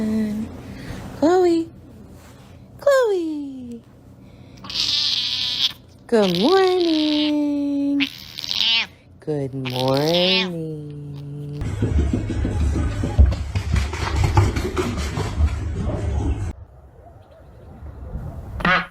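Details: Pet cat named Chloe, found sleeping indoors, gives a series of drawn-out meows with rising and falling pitch, several long wailing calls, while a person talks to her and music plays; rustling noise near the end.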